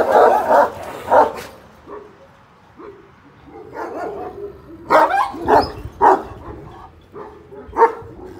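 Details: Black-grizzled Kangal youngsters, one year old, at a breeding and rearing farm; irregular barking, with loud booming barks in clusters near the start and again toward the end, and quieter whines and grumbles filling the gaps.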